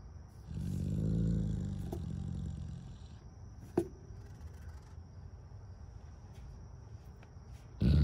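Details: A bloodhound in North Dakota lets out one deep, throaty howl lasting about two seconds, then falls quiet.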